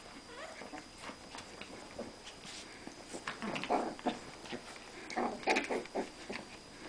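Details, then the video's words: Two Rat Terriers, Newton and Twinkie, play fighting for household supremacy indoors; scattered short squeaky yelps and snuffles, clustered in bursts toward the end, over a faint steady high hum. "Rat Terrier Battle Royal"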